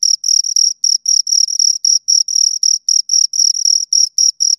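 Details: High-pitched rhythmic chirping from two crickets, short buzzy bursts repeating about four times a second, some doubled, with clean silent gaps between and nothing else audible.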